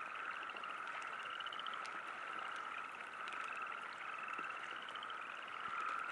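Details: Chorus of frogs by a river campsite during a light rain sprinkle, a continuous high ringing hum with short bursts of quick, beaded trills repeating every second or so, light patter of drops throughout.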